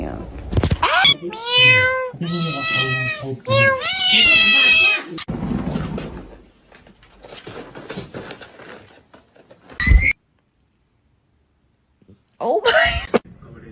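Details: Kitten meowing: a quick run of four or five loud, bright, strongly harmonic meows packed close together, then quieter rustling, a short sharp squeal and people talking and laughing.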